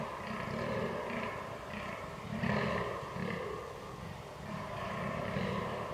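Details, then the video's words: Rutting fallow deer, 22 October 2022, recorded on a Canon R6: low, grunting groans repeated in a rapid regular rhythm, rasping throughout, with a faint background rumble. "DAŇČÍ ŘÍJE / FALLOW DEER RUT"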